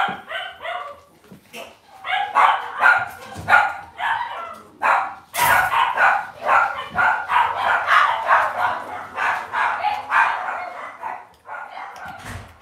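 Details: Cavalier King Charles Spaniel puppies kept in a home puppy pen, barking and yipping almost continuously, about two high-pitched yaps per second over twelve seconds, with a sharp clatter midway.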